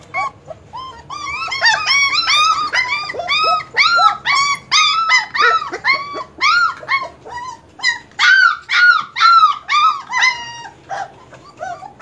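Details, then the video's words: Several German Shepherd puppies cry together in dense, overlapping high whimpers and yelps, each an arched squeal, pouring out almost without pause for the whole stretch in a loud, clamorous chorus. "German Shepherd puppies"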